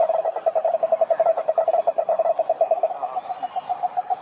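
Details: Cane toads calling at a lake in Brazil's Atlantic Forest: a steady, fast pulsed trill at mid-low pitch runs through the whole stretch, each pulse evenly spaced, softening slightly toward the end.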